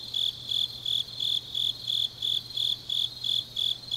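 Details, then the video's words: Late-night autumn insect chorus from Changnyeong, South Gyeongsang Province; a high, even chirp pulses about three times a second over a quiet background. "깊은밤 가을 풀벌레 소리"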